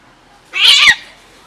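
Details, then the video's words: Domestic cat from a family of cats meowing to beg for food, a single short high meow of about half a second, bright and slightly falling at the end, right after a person's coaxing "psst" sounds. "Wholesome cat family is meowing to lure me into giving them food"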